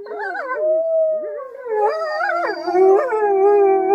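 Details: Gray wolves at a zoo park howl together, long wavering tones sliding up and down and overlapping in a mournful chorus.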